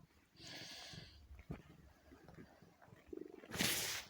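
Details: Four-year-old female domestic cat named Kitty, exhausted while giving birth to a kitten indoors with human help: a short strained cry of about half a second, then soft rustling and a low murmuring voice, ending in a loud breathy hissing burst.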